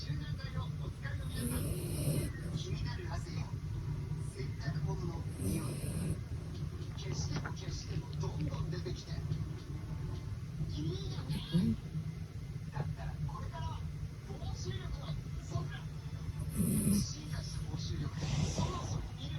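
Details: Adult male Maltese dog named Moko, a family pet since three months old, snoring while asleep indoors; soft breathy snore bursts return roughly every four to five seconds over a steady low hum.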